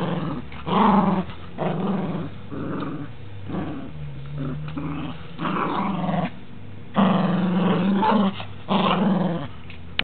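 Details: Rambo the dog growls steadily while playing roughly with his toys indoors. Deep, sustained rumbling growls run in long bouts of one to two seconds, rising to harsher snarls near the end, with short pauses between.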